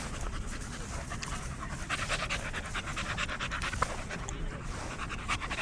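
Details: Dog at a dog park among many other dogs, busy sniffing, panting in quick breathy bursts that repeat several times a second over a low outdoor rumble, with faint human voices in the background.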